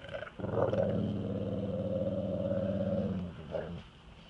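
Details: Yellow female Labrador Retriever guarding her jar of peanut butter from an approaching man: a deep, steady, throaty growl held for about three seconds, then a short quieter sound as it ends.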